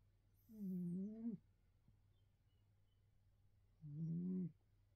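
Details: A neutered male Bengal cat, living in England, snores while sleeping, in low, droning, slightly tonal breaths, each under a second long, a few seconds apart.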